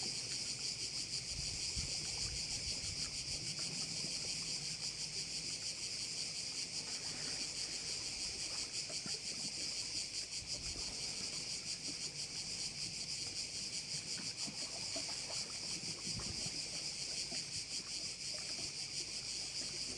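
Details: Insect chorus from crickets at a bay on Korčula, Croatia, a continuous shrill, finely pulsed buzz that stays level for the whole stretch, with soft low background rumble beneath.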